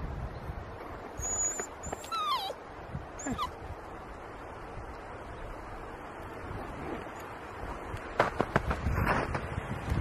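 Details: Puppy Melker, almost 11 weeks old, straining to free his toy from under a log; thin high whines slide steeply downward around two to three seconds in, followed by scraping and rustling bursts near the end.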